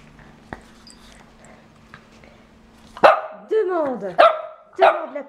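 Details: Shih Tzu indoors, told to ask for her new octopus toy: after a quiet, humming start, four sharp barks follow about every half second, each with a falling, whiny tail.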